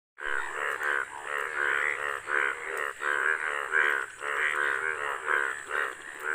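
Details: Hundreds of Indian bullfrogs, yellow, gathered in front of a house and out for mating, give loud, buzzy, harmonic croaks in overlapping bursts, roughly ten in six seconds, with a steady faint hum beneath.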